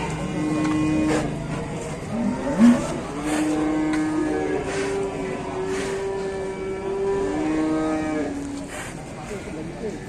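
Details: A very fat cow gives long, loud, droning moos that overlap and hold steady for several seconds, screaming hard enough that the owner wonders whether it is hungry.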